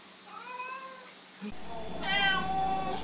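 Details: Pet cat greeting with hello meows: a drawn-out tonal meow early on, then a brighter, louder second meow after a sudden cut, in a quiet indoor room.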